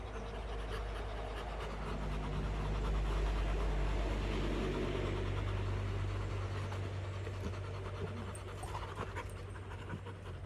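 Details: Rottweiler family panting after fighting, a soft rapid breathy rhythm of about four breaths per second, low and steady, with a low background rumble like a passing vehicle.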